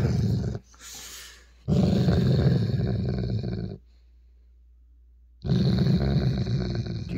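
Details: Male Weimaraner growling while teased over his ball, annoyed enough to snap, recorded 16 October 2022; three deep, rough, rumbling growl bursts, the longest about two seconds, separated by near-silent gaps, with music and a man's voice nearby.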